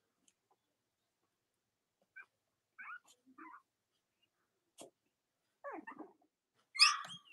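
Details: Cavalier King Charles Spaniel puppies from Robin and Myra's litters, nursing mothers nearby, on a chilly late-October Monday morning in the US: scattered short, high squeaks and whimpers separated by silence, ending in a louder rising squeal.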